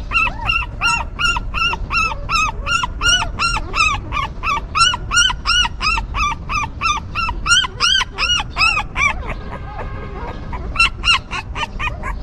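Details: Stray mother dog's newborn puppies crying in rapid, evenly spaced, bright arched whimpers, nearly three a second, pausing briefly amid a soft rustle before the high squeals resume.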